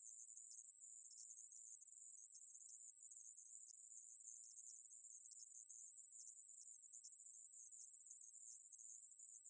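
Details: Continuous high, hissing trill of the conehead katydid (애매부리), 2020, Korea. The steady, even drone keeps one pitch and volume the whole way through, against complete quiet otherwise.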